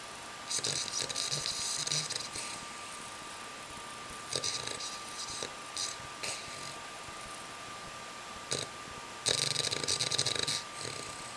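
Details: Buddy, an Olde English Bulldog, asleep in his cage with his head resting on a new toy. Rasping, breathy snores come in bursts about every two seconds against a faint steady indoor hum.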